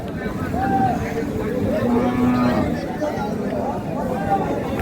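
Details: Sahiwal, Sindhi and local dairy cows with calves at the Ambari cattle market, Parbatipur, Dinajpur, Bangladesh, 20 April 2026; a short, steady low moo rises from constant crowd chatter and market noise.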